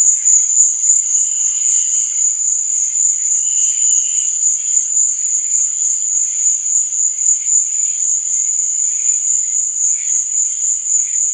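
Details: Crickets at night in a dense, unbroken high chorus of rapid pulsed chirps, with fainter lower trilling bursts rising and fading every couple of seconds; no other sounds stand out.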